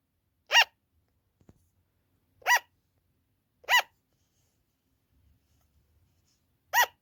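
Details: Captive sugar glider making the loud, long-lasting "an-an" call heard at night or when its keeper is away: four clipped, bright barking notes at uneven intervals of one to three seconds, in a quiet room.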